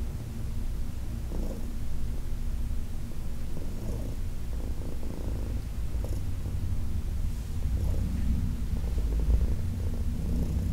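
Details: During a massage on August 4, 2021, Heidi, an elderly female shelter-adopted cat aged 14, purrs in a deep, unbroken rumble while light strokes and rubbing sounds come through intermittently.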